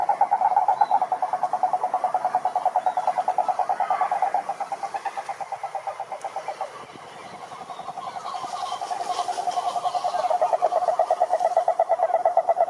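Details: Rapid rattling trills of croaking toads calling to attract females, mid-pitched and pulsing steadily, dipping briefly in loudness around the middle before building again as other callers join.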